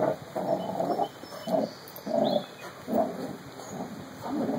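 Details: Two puppies, Carlee and Sonny, playing together: short throaty growling bursts come roughly every half second to second, rough and mid-pitched, with a faint electrical hum behind them.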